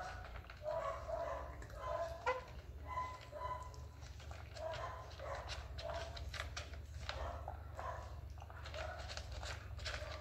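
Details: Hungry Persian kitten meowing indoors, short rising-falling mews repeated every second or two over a steady low hum, with some soft rustling between calls.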